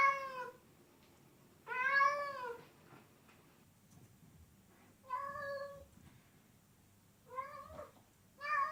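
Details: Cats meowing loudly: drawn-out, wavering meows of about half a second to a second, rising then falling in pitch, four calls spaced a few seconds apart in a quiet room with a faint low hum.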